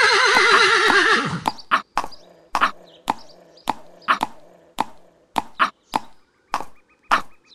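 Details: Horse whinnying: a loud wavering, shaking neigh lasting just over a second, followed by a steady run of sharp hoof clops on a hard surface.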